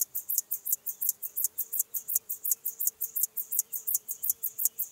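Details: Chorthippus apricarius, Locomotive Grasshopper, Moosham, Austria, 9 October 2020: crisp, hissing high pulses in an even chugging rhythm, around three per second, with a thin steady tone faintly underneath.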